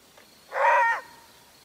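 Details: A maned wolf gives a single short, throaty roar-bark, loud and harsh, a call this solitary canid uses to communicate with others over long distances.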